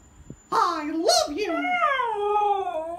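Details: Pet Siberian Husky indoors, reacting against its owner's Mickey Mouse voice: a sudden loud whining howl breaks in, wavering, then drawing out into a long, slowly falling, tonal note.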